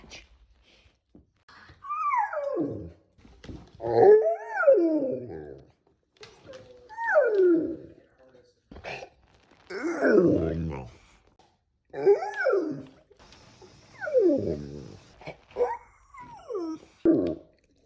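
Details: Dog making noises while stretching after waking from sleep: a series of squeaky, groaning whines that slide downward, some yawning, about seven separate vocal bursts with short gaps, indoors.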